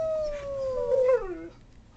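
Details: A dog holds a steady, mournful howl that sinks gradually in pitch, swells briefly, then drops off in a final downward slide before falling silent.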